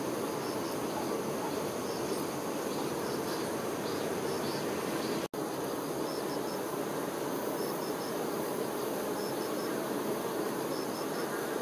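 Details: Continuous low droning buzz from honey bee workers looking after the queen, briefly cut by a split-second dropout midway, with faint paired high chirps repeating behind the hum.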